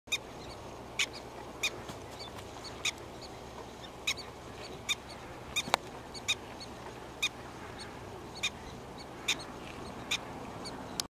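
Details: Annoyed prairie dog giving short, sharp calls repeated roughly every half second to one second over a steady background hiss, each call a brief broadband burst.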